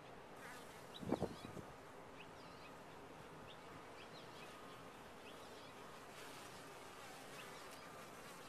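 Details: Constant low drone of bees at a top-bar hive. A single louder, close buzzing burst rises near the one-second mark, then the hum settles back under scattered thin chirps of birds.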